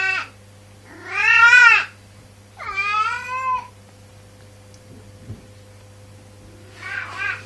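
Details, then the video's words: Domestic cat making loud, drawn-out funny meows, two strong wavering cries in quick succession, then quiet and a shorter meow at the end, with a steady low hum in the background. "Cat Funny Noise"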